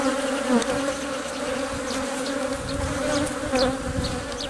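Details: Honey bees inside a hive, workers protecting and feeding the queen as she lays eggs; a steady droning hum with two even tones, low and mid, with occasional faint ticks and brief higher buzzes of passing bees.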